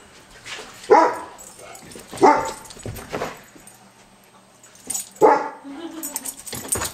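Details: Czar, an 11-month-old Rottweiler and German Shepherd cross, chasing a laser pointer he has never seen before, gives three short, sharp barks spaced unevenly over several seconds, with quieter human voices and scuffling between them.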